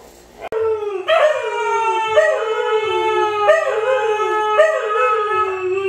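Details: Siberian Husky howling in a series of smooth, harmonic, falling howls, each starting with a brief rise and then sliding down, repeated about every second, loud and clear with little background noise.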